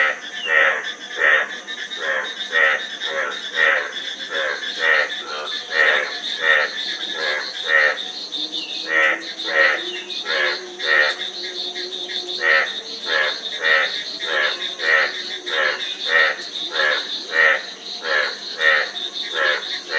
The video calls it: Frog Sound--Frog Sound Effect 15 min